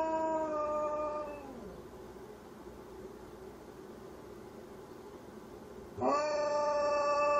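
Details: Howling from a malamute mix dog: a sustained tonal howl slides downward and fades out, followed by several seconds of near quiet, then a fresh howl bursts in at a steady, fairly high pitch.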